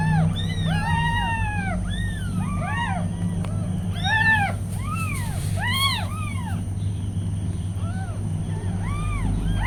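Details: Tiny meows from newborn kittens beside their nursing mother cat: a busy run of short, bowed, high-pitched cries. Several voices overlap in bursts with brief pauses between them, over a constant low electrical hum.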